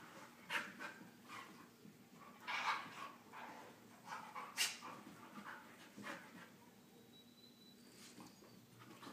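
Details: Husky pup during wrestling play, heard as soft breathy panting bursts and scuffling at an irregular pace, with quiet rustling between the breaths.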